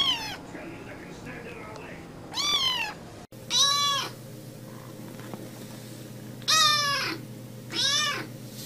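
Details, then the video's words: Kitten meowing: five bright, high, harmonic meows, each under a second and mostly arching up then sliding down, spaced irregularly with a steady low hum between calls. "Kittens Meowing Compilation"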